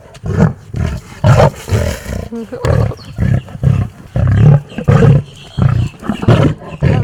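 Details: Captive big cat living at a wildlife refuge, showing attitude toward its keeper with a rapid string of deep, chesty roars and grunts in regular pulses, a woman speaking over it.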